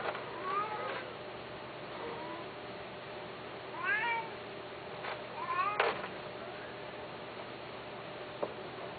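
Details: Persian and Himalayan cats during mating, indoors: several drawn-out, wavering meows rising and falling in pitch, spaced irregularly across the recording, with a low steady hum beneath.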